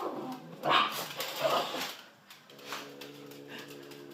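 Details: Pet dachshund indoors, urged on to get the kitty, lets out short rough bark-like bursts, then a steady droning whine with stacked harmonics, while human voices sound in the background.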